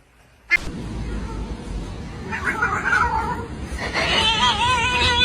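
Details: Cat. A young cat cries in long, wavering meows that rise and fall, the second bout louder and more insistent than the first. A low background rumble runs throughout, and a sharp click opens the recording.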